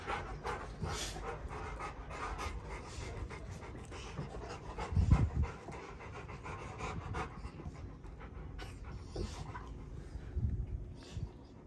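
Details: Rottweilers panting at home on a ranch while meeting a newborn baby, a steady rapid breathy rhythm through most of the stretch, with a brief louder bump midway and soft human voices nearby.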